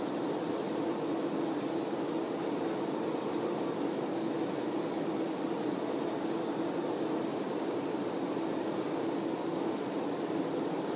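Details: Honey bee workers tending their queen fill the air with a dense, steady hum. The low drone is continuous throughout, with a faint airy hiss above it.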